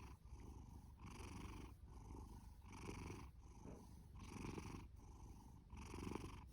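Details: Booming snore-purr of Fasu, a male orange tabby adopted from a cat shelter, born October 2019; rough low rumble swelling with each breath, about one breath cycle every one and a half seconds.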